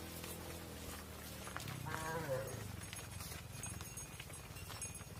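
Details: Mother cows on a farm entering the barn while their calves stay outside: a low droning moo gives way to a louder, higher bawl that rises and falls, over steady clatter of hooves and barn noise.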